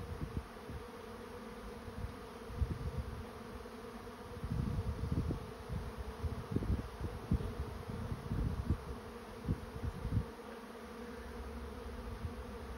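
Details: A honey bee swarm moves into a trap with an even, droning buzz throughout. Irregular low thuds and rumbles cluster in the middle section.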